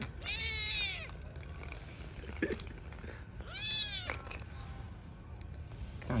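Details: Newborn street kittens with their mother cat: two thin, high-pitched meows about three seconds apart, each stretched and wavering, with light background noise.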